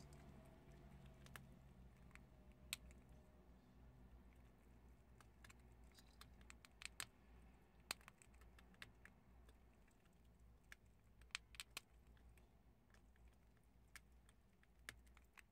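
Prairie dogs chewing chickpeas, with sharp, irregular crunching clicks over a quiet indoor hum.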